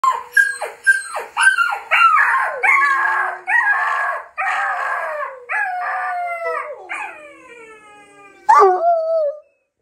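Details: Bluetick Coonhound; howl; responding to puppy sounds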